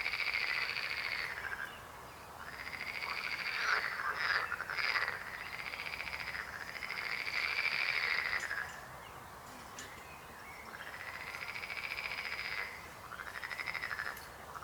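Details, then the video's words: Several frogs croak in a chorus of rapid pulsed trills, each rising then falling in pitch, coming in waves of a few seconds separated by brief lulls. "Rechot żab. Croaking frog sound."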